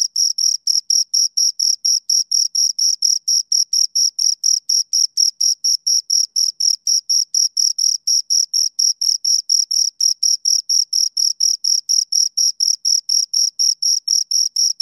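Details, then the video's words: Two crickets chirp steadily, giving a high, pure, pulsing trill in rapid, even beats. "Two Crickets Chirp Sounds for Two Hours Right on Your Ears"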